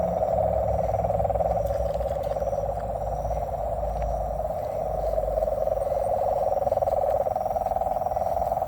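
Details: Massed frog calls in nature form a steady, trilling drone of quick pulses at a constant mid pitch, fairly even in loudness throughout, with low rumbling background noise beneath.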